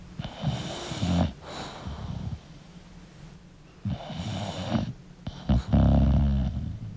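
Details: A sleeping English bulldog gives irregular snorts and wheezy breaths, ending in a loud, gurgling, throaty snore.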